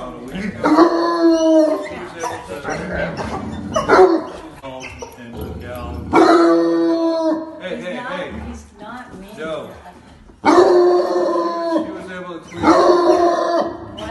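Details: Two loud, frantic bloodhounds give long, drawn-out baying barks in bursts, with quieter whines and voices between, before professional training.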